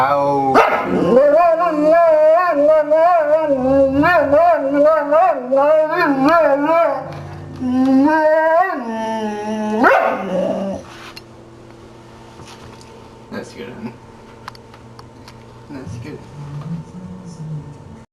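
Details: Boxer dog singing: a long, wavering, howl-like voice with rapid wobbling pitch sustained for about ten seconds, then a sliding howl followed by quieter steady tones and faint background sounds.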